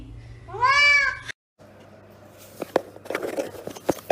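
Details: House cat with a short rising-falling meow near the start, followed by a pause, then scattered clicks, rustling and household handling noises.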